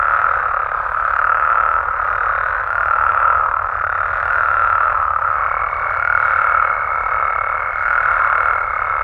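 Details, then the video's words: Continuous nighttime chorus of frogs and toads in Mexico, a rough trilling wall of sound that rises and dips gently. A thin high tone enters halfway through. "Mexican Frogs & Toads Sounds"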